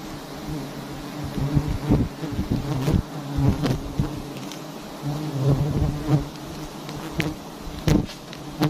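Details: Dense honey bee buzzing at a big wild nest hung in a tree in a palm garden, a loud low hum that swells and fades, with repeated sharp knocks and clicks from work on the hive.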